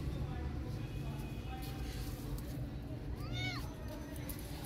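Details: Street cat circling a tabby kitten and walking around her, giving a single short arched meow, rising then falling, over steady traffic rumble with voices in the background.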